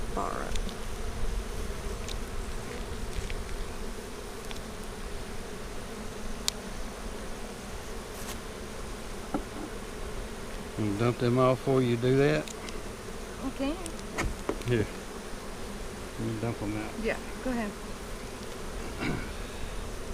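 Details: Honey bees at a hive split made March 4, inspected April 15, 2017; the queen was moved to a five-frame nuc with nurse bees. A steady droning hum, with one close bee's wavering buzz swelling around eleven to twelve seconds, plus scattered clicks.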